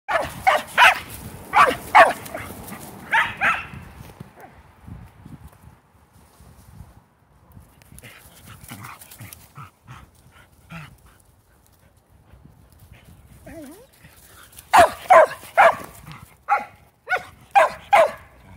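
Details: Shetland Sheepdogs, female pet Shelties, playing ball. A burst of sharp barks opens, then a quiet stretch with faint scattered noises, and a rapid run of loud barks returns near the end.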